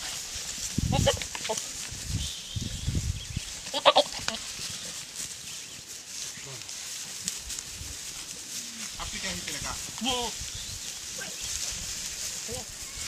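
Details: Young Boer goats on a farm: a few short, wavering nasal bleats around four seconds and again near ten seconds, set among handling thumps, shuffling and occasional human voices.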